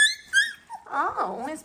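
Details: Eighteen-day-old Dalmatian puppies, just moved to a new spot indoors, give two short, high, thin whining squeals that rise and fall, followed by a woman talking close by in a small room.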